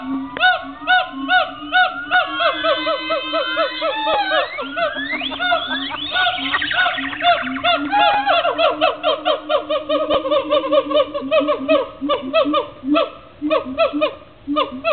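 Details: Gibbons at the Cincinnati Zoo in a loud duet: rapid repeated hoots, then a long series of accelerating, upward-sweeping whoops climbing to a frenzied climax around the middle, settling back into fast rhythmic hooting.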